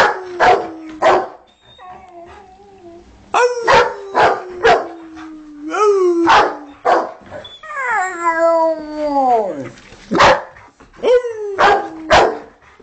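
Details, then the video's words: Two pet Rottweilers howling along to music, one howling and the other barking: long, smooth howls that slide downward in pitch, one ending in a steep drop, broken up by short, sharp barks. "rottie howling at music"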